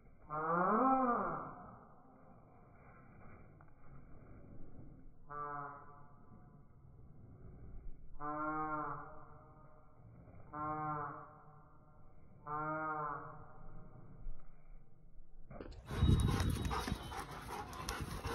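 A Rottweiler gives drawn-out, moaning woofs that rise and fall, spaced a few seconds apart, during play.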